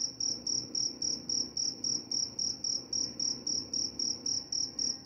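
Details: Cricket calling in a regular rhythm, each chirp a thin ringing high note, roughly four every second, around nineteen chirps, with quiet low-pitched noise in the background.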